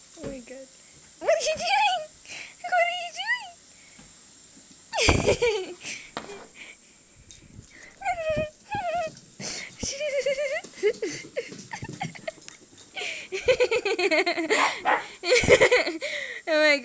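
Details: Siberian Husky puppy named Delilah, acting crazy indoors, gives drawn-out whining, woo-like howls that bend up and down, mixed with a woman's excited talking and short clattering bumps.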